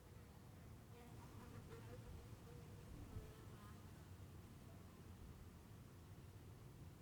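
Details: Bees in Heiden, Switzerland hum steadily, a low, soft drone that holds without pause. Finding: bee.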